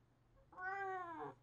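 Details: A calico house cat answers its owner, who is refusing it a late-night walk outdoors, with a single loud meow, a rich harmonic cry that swells and then drops off. The room is otherwise quiet.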